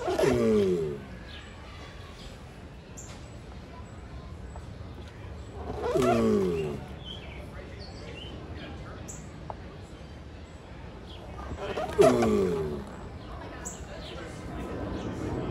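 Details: A mating giant tortoise gives three drawn-out, harsh, descending groans, each rich in overtones, spaced roughly six seconds apart, with faint bird chirps between them.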